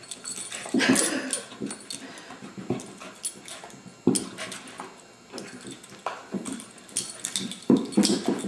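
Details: Indoors, foster beagle Abigail, since adopted, produces a rapid string of short, low, gruff vocal bursts that rise and fall in loudness, broken by brief pauses, with clattering and rustling from the room.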